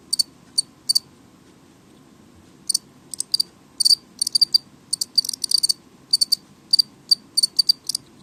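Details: Chirps of a house cricket kept indoors and called noisy: sparse sharp high pulses at first, then a quickening run of chirps toward the end, with a faint background hum.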